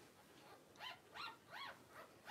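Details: Three clear arched squeals, each climbing and dropping, come from newborn Cavalier King Charles Spaniel puppies born in September 2022, with a fourth beginning as the recording ends.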